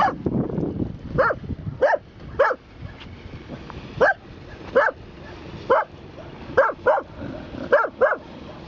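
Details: Bedlington Terrier at Kenosha Harbor, Wisconsin, 20 October 2013, barking at a harbor cleat: short high yapping barks, often in pairs, about one per second with gaps, over a low outdoor rumble.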